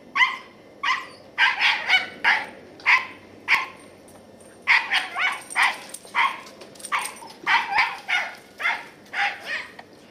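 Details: Barking from a ten-year-old female Scottie named Katie as she chases squirrels, November 2008. Quick yapping barks come in bursts of two to four, with short pauses between the clusters.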